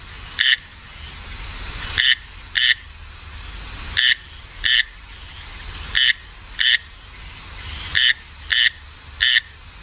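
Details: Male frog singing, agitated near the end by a rival male calling close by, signalling the rival is unwelcome: short bright croaking notes, single or in quick pairs, every one to two seconds over a quiet background.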